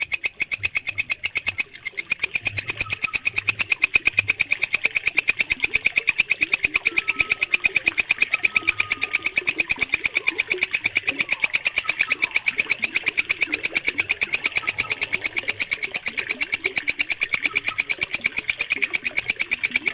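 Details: Walang kecek bush cricket, recorded as a clear mastering sound for pet birds. Continuous, fast, regularly pulsed shrill chirring carries on with hardly a pause after a brief stutter early on. Quiet low hum and faint thin whistles are underneath.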